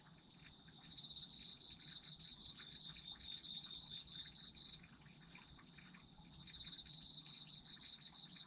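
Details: Chorus of autumn insects: one unbroken high-pitched ringing tone runs throughout while a lower, fast-pulsed trill swells in and out in long phrases, all over faint rustling background noise.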